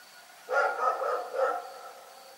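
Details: Rex, a dog, barks in the night with one drawn-out, rasping bark that breaks into a second pulse, then fades into a still background.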